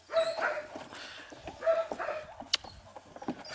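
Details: Playful yapping from an eight-week-old puppy litter of two males and two females: several bright, brief yelps, two clearer ones about a second and a half apart, over soft rustling and a sharp click.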